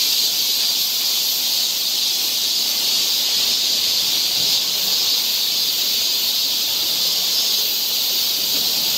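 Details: Korean summer forest in Seoul alive with cicadas, their massed high hiss running smoothly and evenly from start to finish.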